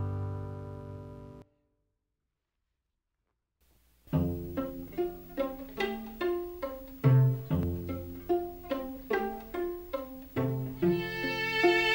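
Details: Plucked and bowed string music with a short silent gap near the start; no animal is heard.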